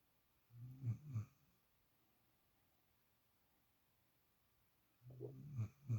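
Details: A spoiled puppy, a female, sleeps in Shadow's usual place for the first time and snores: two deep, gravelly snorts, a long still pause, then a rising series of three rough snoring breaths indoors.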